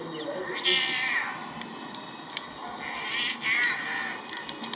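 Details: Fighting cats trade wailing, harmonic yowls, one shortly after the start and another past three seconds, each rising then sliding down, against constant chatter and background noise.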